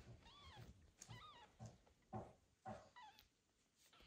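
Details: Domestic mother cat, just back after several days at a veterinary clinic following a difficult birth and surgery, meeting her newborn kitten for the first time indoors: about five short arched, harmonic meows over four seconds, with soft handling rustles between.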